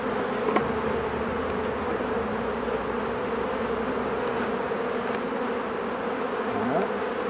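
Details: Honey bees buzzing while a beekeeper works the hives: a dense, steady droning hum, unbroken for the whole stretch, with a few faint clicks and no voices.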